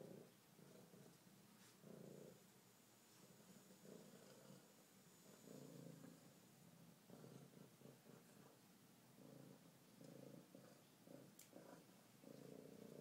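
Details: A friendly female F1 Savannah cat at a vet visit purrs strongly while head-butting the table. It is a steady purr, each breath a low rumbling pulse about every one to two seconds.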